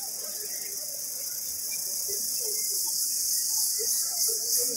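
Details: An Indian cicada in jungle drones in a steady, high, hissing buzz that never lets up.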